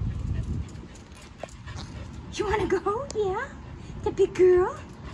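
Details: A female dog called Gelatin whimpers and whines in two bursts of high, wavering, rising-and-falling tones with a person talking softly to her nearby.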